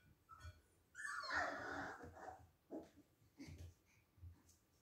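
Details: Playful husky puppies: one drawn-out, wavering whine of about a second, then shorter, softer squeaks and snuffling sounds indoors.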